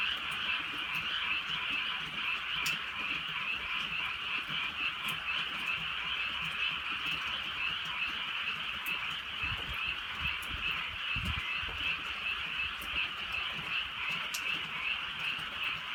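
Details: Frogs croaking in drizzle on a country night, a softer continuous chorus with a blurred, irregular throb, with crisp raindrop taps and a couple of low dull knocks.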